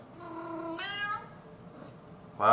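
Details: Maine Coon cat giving a drawn-out meow with rich harmonics, its pitch stepping upward partway through, then a pause before a loud sudden sound at the end.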